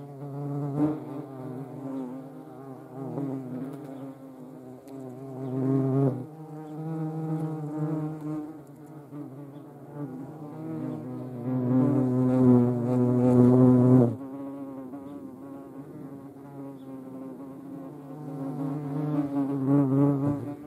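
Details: European hornets (Vespa crabro), likely near the Eifel region of Germany, give a deep, droning wing buzz that swells and fades as they fly close to the camera.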